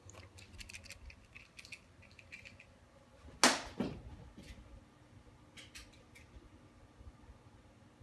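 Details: Scattered light clicks and scratches in a small indoor room, broken by one sharp knock, with no animal call.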